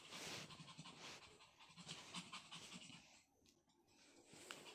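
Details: Pomeranian pet dog indoors, wanting to play with a newly bought toy yet scared of it, panting in quick, soft, breathy puffs that fade toward the end, while a woman's sung Chinese pop song plays in the background.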